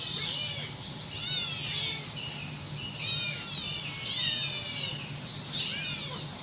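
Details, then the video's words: A kitten calls for its mother in a string of shrill, drawn-out meows that rise then slide down, about one each second, against a constant low background hum. "lucu habis suara anak kucing manggil induknya"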